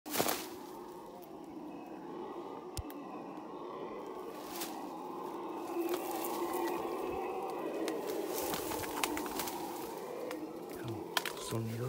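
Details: Wild howler monkeys in the Paraguayan jungle: a sustained, deep roaring drone that holds steady for the whole stretch, with faint clicks and rustles over it.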